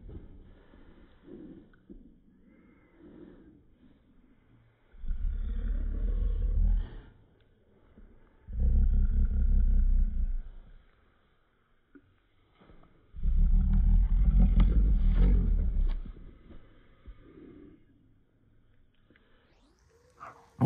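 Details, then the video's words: Upset with his baby Yoda toy, a Cocker Spaniel puppy lets out three sustained, low rumbling growls about two seconds each, spaced by quieter stretches of soft muttering, with a brief higher squeak at the end. "Cocker spaniel gets upset with his baby Yoda"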